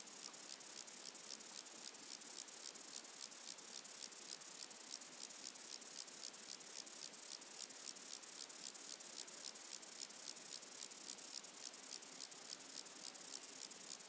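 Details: Stenobothrus rubicundulus at Mala Ucka, Croatia, 26 July 2023, produces a long run of sharp, high rattling pulses at a steady rate of several per second, like a shaken maraca, over faint hiss.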